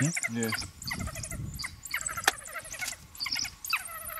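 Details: African wild dog puppies found on a game drive from a camp in Botswana, giving high squeaky chirps and twittering calls in quick bursts, with background music.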